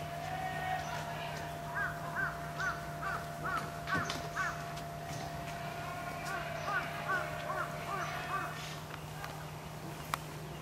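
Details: Female Pallas's cat in Saitama Children's Zoo, angered when a male tried to mate with her: bursts of short, arched, tonal yelps about two per second, pausing midway, over a steady low hum.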